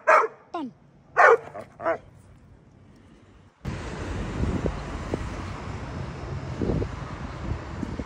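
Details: Barking Pit Bull dogs give three loud, harsh barks spaced about half a second apart, then a steady hiss of background noise fills the rest with faint knocks.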